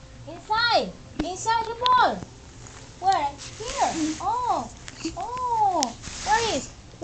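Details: Pet dog "talking" indoors in a small room: a run of short harmonic yowls, each arching up and then down in pitch, about eight in seven seconds with uneven gaps, with faint room noise between them.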